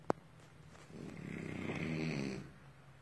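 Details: Sleeping French Bulldog giving one drawn-out snore that swells over about a second and a half, a gurgling, raspy rumble, preceded by a brief sharp click.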